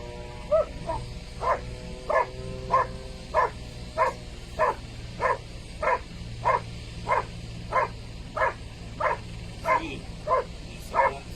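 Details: Dog barking in the blind, giving evenly spaced short barks about every two-thirds of a second, steady and repetitive, with a low hum and faint tonal notes early on in the background.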